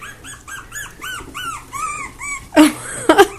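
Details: Squeaking Havanese puppies: a rapid series of high, bent whimpers, about two per second, each rising and falling, ending in sudden loud rustling and bumping.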